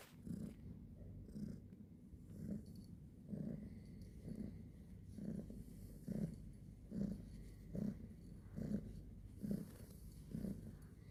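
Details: Domestic cat purring in the morning: a low, steady rumbling purr with soft pulses repeating a little over once per second, each breath cycle swelling and fading, quiet background.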